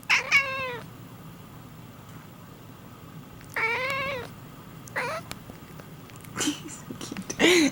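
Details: Pet cat indoors that meows after its owner coughs or sneezes; three wavering meows, the last very short, spaced a few seconds apart, followed by faint human voices.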